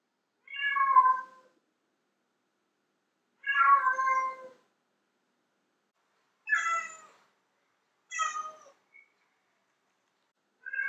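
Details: Female domestic cat meowing loudly, a sound said to attract male cats: five separate harmonic meows, each about a second long with falling pitch, spaced irregularly over silence.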